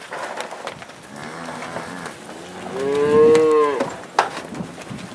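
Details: Black Angus cattle of a northeast Kansas farm herd, turned out to spring pasture: a quieter low moo first, then a strong harmonic bellow rising and held near one second before falling off, with scattered clicks.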